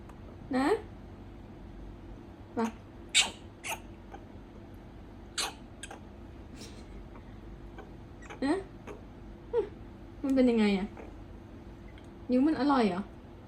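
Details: Pet prairie dog indoors, clinging to its owner and protesting with annoyed cries when picked up to be carried to bed: short squeaky chirps with rising-then-falling tones, roughly every two seconds, with a woman talking softly between them.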